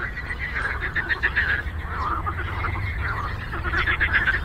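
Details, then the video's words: Frogs calling on a lake: a busy chorus of quick rattling croaks repeating about four times a second, with a few brighter chirping notes on top and a constant low hum beneath. "Frog Croaking"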